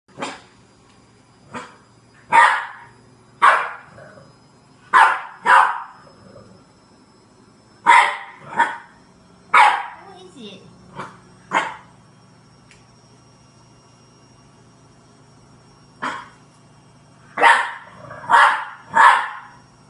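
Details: French Bulldog puppy named Neo, scared of a green washing basket, barking indoors in sharp broadband yaps, often in quick pairs or triplets, with pauses between bursts; faint low hum underneath.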